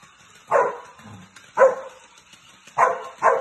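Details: Pyro, a male Samoyed playing by himself, lets out four short, punchy barks in two spaced pairs, with a faint low grumble between the first two.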